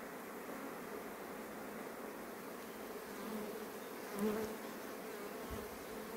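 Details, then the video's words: Honey bees rushing back to the hive just before rain, a steady dense hum of many wings around 200 to 500 with one brief louder bee passing close near the middle. "Albine înainte de a veni ploaia"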